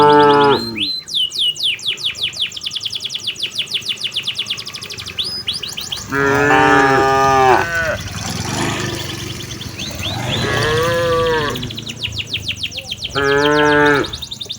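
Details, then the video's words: Cows returning to their pen under a herder's guidance on an afternoon in a peaceful village: a short moo, a long stretch of rapid bird chirping, then three more drawn-out, deep moos spaced several seconds apart, the middle one softer. "suara sapi lembu berjalan menuju ke arah kandangnya"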